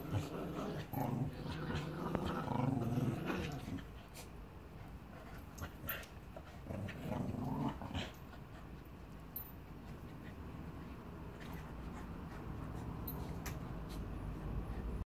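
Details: Play between a rescued Staffordshire Bull Terrier called Annie, aged six, and Bear the Border Terrier puppy in Salford: bursts of throaty play growls in the first half, fading to quieter scuffling and room noise.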